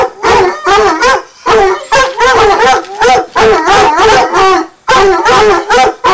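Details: Two 9-month-old Redbone Coonhounds tree, baying at the tree in rapid, ringing, tuneful barks, several each second.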